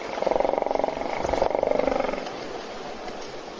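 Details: Hippopotamus snoring while asleep in a puddle at a South African waterhole near Kruger National Park, filmed by an Africam webcam as other animals wait to drink; a rough, rapidly pulsed rattling snore lasting about two seconds, then fading out.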